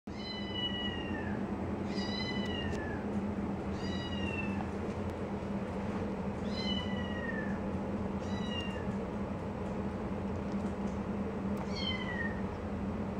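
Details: Tortoiseshell foster kitten, 3 weeks old, named Taylor, trying to suckle milk from a male English cream golden retriever; high thin meows with harmonics, about seven, each falling slightly, spaced roughly every one to two seconds over steady low hum.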